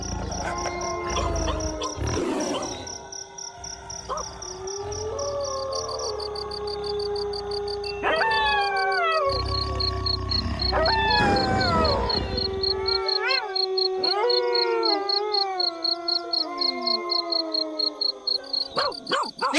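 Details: Several gray wolves howl together in a chorus of long, sustained tones that slide up and down in pitch.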